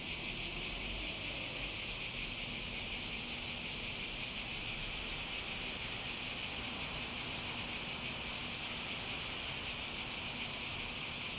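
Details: Steady high-pitched cicada drone, loud and unchanging, with a faint low hum and a brief soft low sound near the start.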